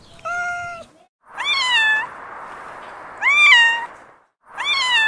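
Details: Domestic cat meowing: a flat, steady opening note, then three loud meows that rise and fall, each about a second long. Rich harmonics sit over a constant hiss-like background hum, with short silent gaps between calls.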